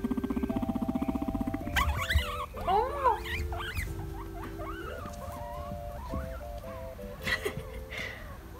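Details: A guinea pig gives quick, wavering high squeaks while doing a little "dance", over steady background music.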